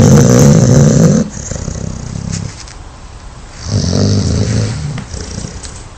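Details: Dog snoring loudly at home: a deep, rumbling, rasping snore in a burst lasting about a second, then a quieter stretch and a second loud snore around four seconds in, with soft hiss between.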